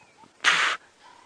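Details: At a sunrise safari drive about 5:30 AM on 20 October 2016, an impala gives a single sharp, harsh alarm snort, about a third of a second, repeatedly alarm calling for a suspected leopard while other impala largely ignore it.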